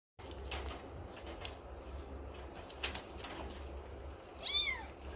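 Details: Little kitten playing and climbing in the morning; soft rustling and light taps throughout, then a single short, high, rising-falling meow near the end.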